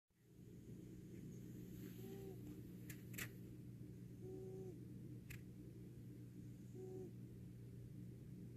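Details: Ron, a fat cat, snoring while asleep: soft nasal, faintly whistled snores come about every two and a half seconds, three in all, over a steady low hum, with a few sharp clicks between.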